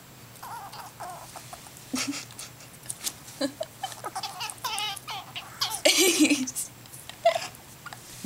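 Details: Food-aggressive cries from Mr. Nutty, an orphaned squirrel rescued and raised by people and now running free, disturbed at his meal: shrill quavering squeaks and chattering bursts, with a harsher noisy outburst near the end.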